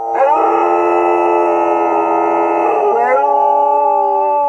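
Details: Australian Shepherd dogs howling in answer to coyotes: several overlapping, steady, sustained harmonic howls held for about three seconds, then sliding and settling into a lower held tone.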